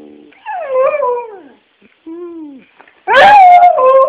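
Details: A dog vocalizing loudly in a series of drawn-out, falling whining howls, each about a second long, separated by short pauses, ending in a harsher rising yelp that settles into a sustained tone.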